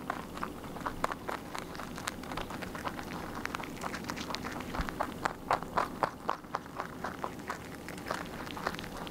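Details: Rabbit chewing its food without pause: brisk, crisp crunches at roughly four per second, loosely regular, with a few bursts of louder, closely spaced bites.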